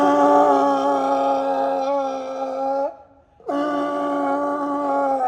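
A California sea lion gives a loud, sustained roar, broken by a brief pause before resuming.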